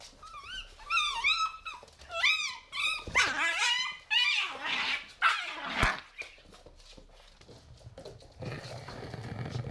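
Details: Pit bull puppies, three months old, playing indoors in an apartment in 2017: high wavering whining yelps open the scene, then louder rough barks and growly bursts, fading into quieter rustling and thumps.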